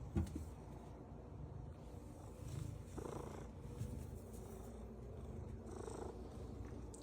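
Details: A domestic cat makes a steady, low rumbling purr with a couple of brief, higher warbling notes, unusual sounds its owner had never heard before.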